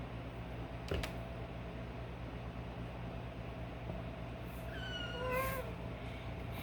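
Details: Kitten held down by its mother cat for a wash while wriggling: one short, high, falling mew near the end, over a steady humming background with a couple of soft knocks.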